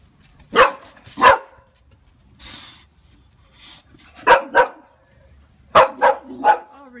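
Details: A Boxer named Pixie, scared of a balloon, lets out pairs and triplets of harsh, forceful barks in quick clusters separated by pauses, while a person speaks reassuringly nearby.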